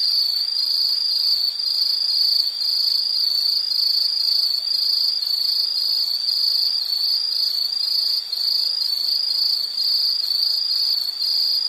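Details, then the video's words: Insects in a relaxing nature ambience: loud, bright, rapidly pulsed trilling at a high pitch, evenly repeated beats throughout with no other distinct sounds. "Sound · Nature Sound of nature sounds scenery L · insect"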